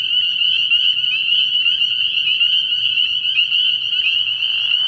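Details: Early-season night chorus of spring peepers at a frog pond: countless overlapping high, piping notes forming a constant shrill band, with a softer lower buzz appearing at the very end.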